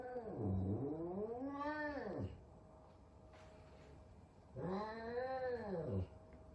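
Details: Big F2 Savannah cat frightened of a little kitten as Sabian and Sabina meet for the first time; two drawn-out arched yowls, each about two seconds, rising then falling in pitch with rich harmonics, separated by a quiet pause.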